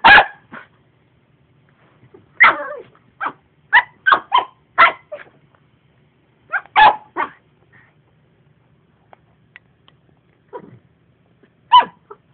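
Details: House dog barking at a disliked vacuum cleaner, sharp barks in irregular bursts of two to four with short pauses, a faint low hum underneath and a quieter whimper near the end.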